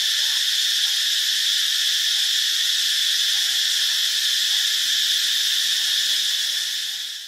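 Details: Cicada song from Ubon Ratchathani, Thailand: a dense, continuous, piercing electric-sounding whine at constant loudness. It fades slightly in the last moment.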